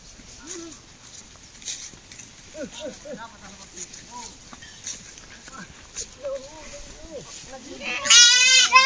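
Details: Goat raised on a farm for selling, giving short wavering bleats scattered through the recording over steady talking, with a burst of loud, high music near the end.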